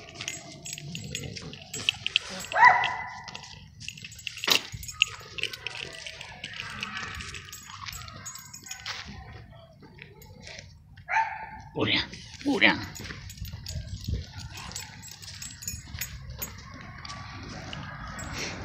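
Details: French Bulldog named Burian on a street walk, reacting on seeing a cat: a few short, harmonic barks or yelps early on and again in a cluster later, amid human speech and light jangling.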